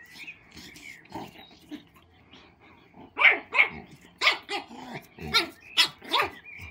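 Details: Female mini pug puppy Matilda, 4 months old, uneasy at a big old labrador she likes; soft scattered sounds give way to a run of about eight high, clipped yips that grow louder and come roughly every half second.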